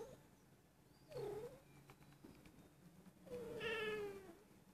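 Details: Female Persian cat almost a year old, indoors, mewing repeatedly and rolling over, possibly in heat. A short wavering meow, then a longer, slowly falling, strained meow, with faint room noise between.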